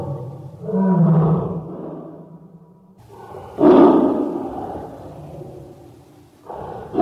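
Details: ['Roaring tiger, its moods listed as happiness, sadness, hunger or anger: a drawn-out low moaning roar, then a sudden loud harsh bellow that trails into a growl, and a fresh roar starting at the end.']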